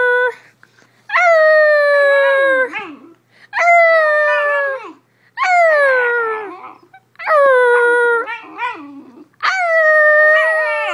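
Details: Basenji dog yodels in five drawn-out, harmonic-rich vocal bouts, each starting high and sliding gently downward with warbling breaks, with brief quiet gaps and faint whines between them.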